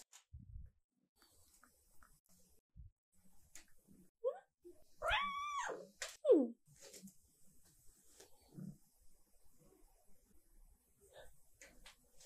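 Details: Indoors, a cat waiting for treat time lets out a short, soft, whiny meow midway through, surrounded by long quiet stretches with small clicks and light shuffling.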